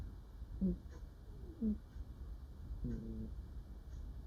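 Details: Sleeping female cat murmuring while dreaming: three soft, low, hummed murmurs, the first two brief and about a second apart, the third a slightly longer wavering note, over a quiet steady background hiss.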